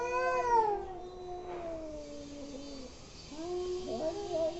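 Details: Angry cats caterwauling: a loud, high, descending howl stretching nearly three seconds, then a brief pause and a lower, wobbling moan that bends up and down.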